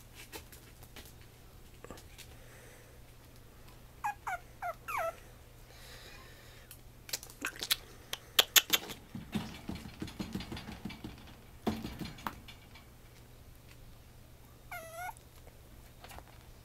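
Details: Female black-and-white Pomeranian puppy, 56 days old, born 28 August 2014, at a breeder in Mie, Japan, gives a few short, high, whiny whimpers that sweep up and down, with rustling and tapping handling noises between them.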